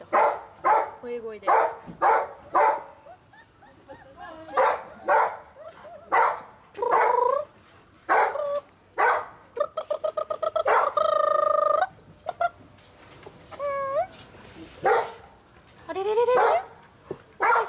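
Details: A litter of five German Shepherd Dog puppies giving a string of short, high harmonic whines and yelps, several sliding upward in pitch, clustered in bursts with brief pauses, with a steadier tonal stretch in the middle and human voices in the background.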